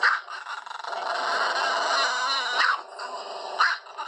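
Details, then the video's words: Indian pariah dog (desi dog) barking in the morning: a dense, continuous, noisy harmonic outburst with sharper loud yelps near the start and around 2.6 and 3.6 seconds. "Desi dog borking"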